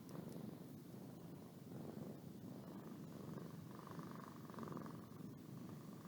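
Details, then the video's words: Boo the cat purring and yawning at home; dense low rumble throughout, slightly louder near the end with a soft humming overtone, a few tiny clicks. "My Cat Boo Purring And Yawning"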